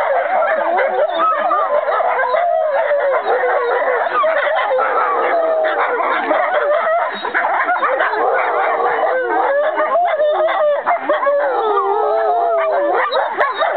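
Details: Group of sibling American wolfdogs, Aiyana, Juma, Akani, Shadow and Lupo, singing together on 5 November 2011; busy layered howling with choppy, yelping breaks and wobbling tones, voices overlapping throughout.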